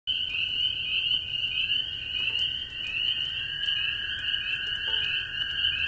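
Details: Many very small spring peepers clinging to an old barn shovel in light rain, a dense unbroken chorus of high peeping whistles merging into a steady shrill band, with a lower continuous trill from toads beneath and faint rain patter.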